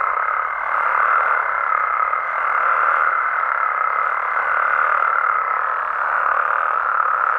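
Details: Frogs and toads calling at night in Mexico, a dense unbroken chorus of overlapping mid-pitched croaks and trills forming a steady wash of sound, with a thin steady higher tone running through most of the stretch.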